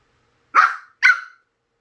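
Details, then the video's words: Two quick, high yapping barks half a second apart from a puppy seeing an electric fan for the first time, otherwise quiet. "선풍기 처음 본 강아지"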